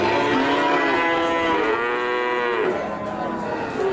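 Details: Cattle penned for sale, one loud drawn-out moo rising and sliding down over about three seconds, harmonics stacked high, then another animal starts a low call.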